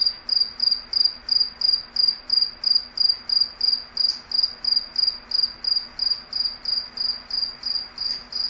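A cricket gives a steady run of short, high, pure chirps, evenly spaced several times a second.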